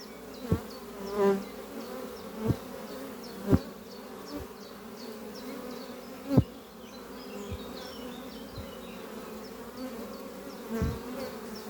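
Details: Honey bees of a strong spring colony flying at their hive beneath trees in the morning, returning with pollen on their hind legs. Dense low drone punctuated by several sharp thuds, with faint high chirps above.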